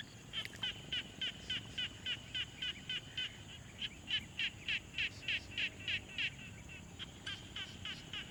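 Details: Frog calling from a quiet pond, recorded on a Tascam Portacapture X6: evenly spaced short pulsed notes about three per second with a brief gap, a sharp click near the start, low hiss throughout.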